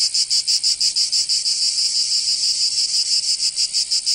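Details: Cicadas calling in summer in Provence, south of France: a piercing high buzz pulsing about three times a second, smoothing into a steadier drone midway before the pulses return.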